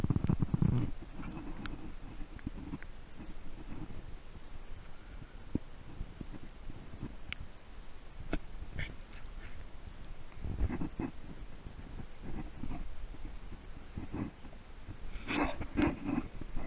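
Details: A young male mountain gorilla (Gorilla beringei beringei), curious about a trekking group, gives deep, rumbling grunts amid rustling and snapping vegetation in Bwindi Impenetrable Forest, Uganda, March 2014.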